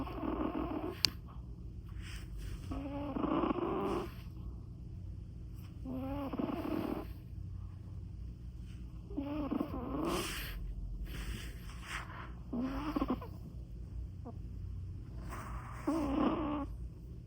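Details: Sleeping Persian cat snores steadily, giving rough, rattling breaths about every three seconds, some louder and buzzier than others, over a constant low background hum.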